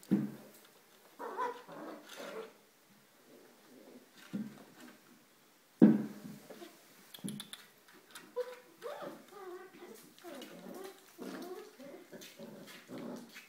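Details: Five-week-old puppies playing indoors in the whelping box on a rainy day: short whiny yelps and soft whimpers in scattered bursts, some growly grumbles, with a person speaking now and then.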